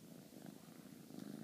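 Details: Female Bengal kitten purring while cuddling indoors with her owner in an affectionate mood: a soft, steady low rumble with a grainy, pulsing texture, continuous throughout, with no voices over it.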